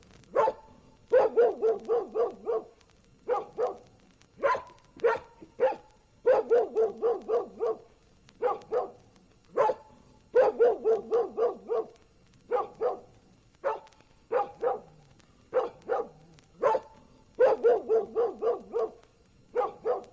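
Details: Dog barking: sharp, clipped barks in quick bursts of four to six, the groups repeating about every second or two throughout.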